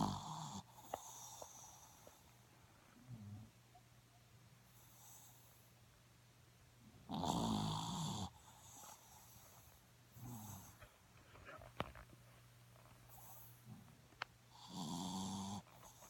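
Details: Sleeping dog named Snoopy snoring softly, with rough, breathy snores rising and fading about every four seconds; the longest and loudest comes midway, over a low constant indoor hum and occasional faint ticks.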